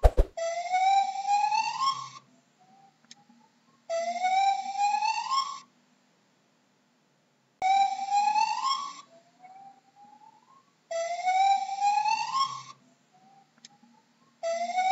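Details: Repeated gibbon whoops: bright tonal rising cries in roughly two-second bursts, four of them spaced by short silences and faint upward-sliding notes.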